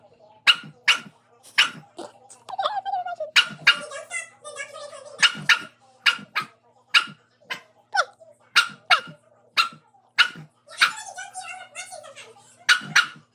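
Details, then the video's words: Domestic dog barking at its own reflection: sharp, loud barks in quick bursts, roughly one per second, broken by short stretches of wavering tonal whines or voice-like sounds. "Dog barking at reflection"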